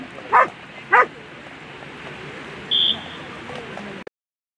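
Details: German Shepherd competing in a world championship agility final: two quick sharp barks half a second apart, then a short high steady whistle tone over background crowd hubbub before an abrupt cut.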